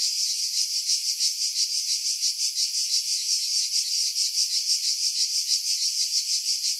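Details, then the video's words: Cicadas singing in July 2018 among pine trees about 50 m above the sea at Pefkos Bay, Skiros Island, Greece, recorded on a Sony RX3 with external mic; a dense, steady buzzing chorus pulsing about three times a second, wind noise filtered out. "Cicada Sounds, July 2018 Skiros, Greece"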